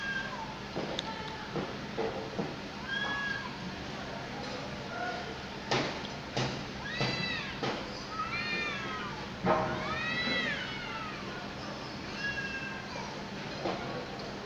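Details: Two cats squaring off over territory at sunset, each trying to take control of the area; drawn-out arching yowls and wavering caterwauls rise and fall repeatedly, with short sharp cries between them over a steady background hum.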